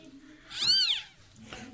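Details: Just after a domestic cat gave birth to kittens in a neighbour's house, a single high, drawn-out meow rises and falls, with soft Turkish speech before and after it in a quiet room.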